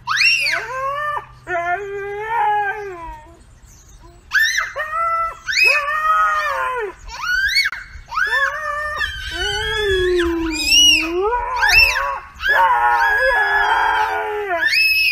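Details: Husky in a TikTok compilation, indoors in a small room, letting out loud, shrill, wailing howls in bursts of about a second, some sliding up then down, with a long low moan near the end and short pauses between bursts.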